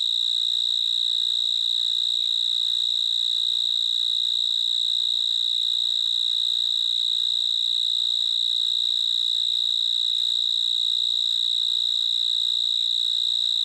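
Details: Continuous high, ringing cricket chirping holds the same pitch and level without pause, over a faint low background hum. No other animals or voices are heard.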